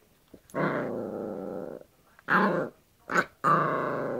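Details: Yorkshire Terrier tussling with a hairbrush: long, buzzy play growls, one lasting over a second, broken by shorter rising growl-yaps.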